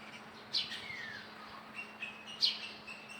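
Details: Baby monkey giving two short, sharp high-pitched squeaks about two seconds apart, with a faint descending whistle between them and softer chirps, over a steady low electrical hum.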